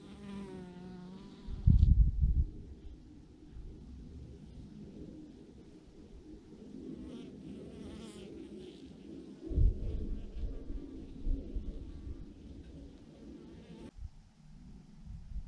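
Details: Bees by the thousands hang clumped together on a branch, their loud, steady low buzz rising and falling, broken by two heavy thumps near the start and midway.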